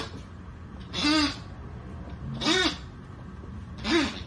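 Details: Miniature dachshund giving three short, sharp barks spaced roughly one and a half seconds apart, each a brief harsh burst with a rising-then-falling tone, against a quiet background.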